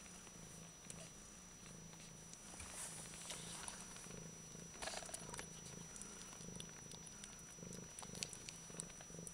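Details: Low, continuous purr of a Bengal cat, an even rhythmic rumble held throughout, heard close and quiet over a light hiss, with small scattered clicks and rustles.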